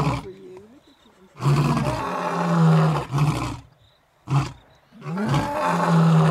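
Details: Two eight-year-old male lion brothers, together again after six weeks on an African game reserve, roar to tell surrounding animals they rule the area. Four long, deep, throaty roaring bouts are broken by short pauses, with faint cricket chirps in the gaps.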